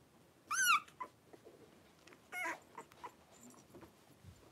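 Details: Five three-week-old blenheim Cavalier King Charles Spaniel puppies wrestling and playing in a home puppy pen; a loud, high squeal with wavering harmonics, then a second shorter squeal about two seconds later, amid soft rustling and pattering.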